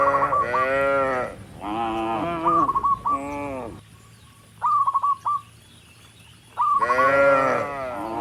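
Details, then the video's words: Dozens of tame cattle walk up a rural road toward the barn, mooing to call other cattle: long, deep, harmonic moos in two bursts, separated by quick runs of short, sharp, repeated chirps. "Dozens of tame cattle are walking up the rural road toward the barn, and the sound of mooing"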